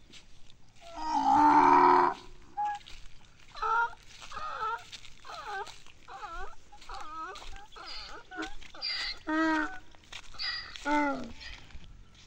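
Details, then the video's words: Big donkey calling while waiting for water, a loud harsh burst followed by a run of wavering, harmonic braying notes repeated roughly every second for about seven seconds, with a quiet background. "Big Donkey Enjoying | Jungke Gadhy Wait For Water"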